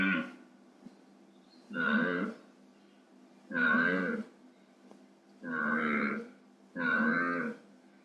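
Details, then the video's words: Wild deer giving territorial bellows and grunts: five rough, moaning calls of under a second each, repeated roughly every 1.3 seconds, with quiet gaps between them. "SOM DE VEADO"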